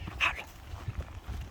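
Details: A timid dog named Wol-i, nosing around an army base, gives one short, high yelp early on, followed by faint low rumbling background noise.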